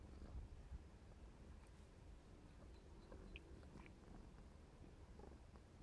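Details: Clarence, a 4½-month-old black smoke Maine Coon, purring softly while playing; quiet low rumble continues steadily beneath faint clicks and small rustles.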